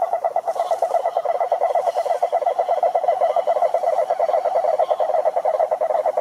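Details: Toad croaking in a steady, rapid pulsed trill, a mid-pitched rattling drone held without a break for over six seconds, with faint higher hiss above.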